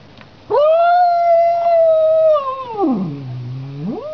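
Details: House cat meeting a street cat: a long tonal wailing yowl held steady for about two seconds, then sliding sharply down into a low moaning growl before rising again at the end.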